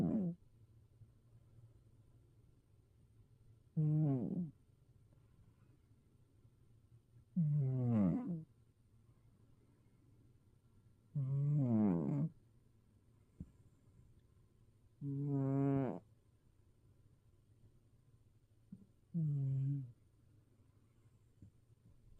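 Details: Sleeping tabby cat, a former stray now resting safely at home, snoring in a fairly high pitch: five tonal, harmonic breaths that rise and fall, each about a second long, arriving roughly every four seconds over a quiet, low hum.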